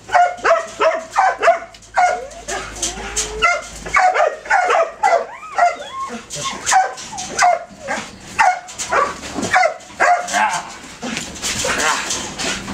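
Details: Belgian Malinois detection dog in training, a male, barking rapidly with yelping, whining edges, the barks packed closely and uneven, with some faint voices in the background.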